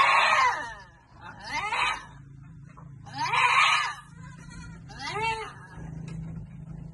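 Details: Goats at Amang Victorio Goat farm while being given vitamins: four loud, harsh, wavering bleats, each under a second long, coming roughly every one and a half to two seconds over a steady low hum.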